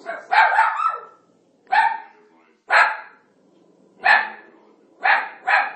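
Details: Italian Greyhound indoors barking at Moses on the television during The Ten Commandments, a figure it does not like; six sharp, harsh barks in separate bursts roughly every second, the last two close together.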